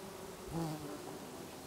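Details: Bees feeding on lavender in August in a garden in Brittany, recorded from a deck; a low steady droning hum with a brief louder swell as one flies close past.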